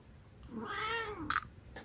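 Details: Munchkin cat giving a single arched meow lasting under a second, rising then falling, with clear harmonics; soft room noise and a brief clatter afterward.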